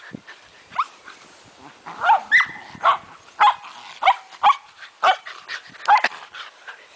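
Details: Shetland Sheepdogs at play outdoors, including a female about five days from giving birth, bark in a steady run of sharp, bright yaps roughly every half second, with a person's voice briefly audible.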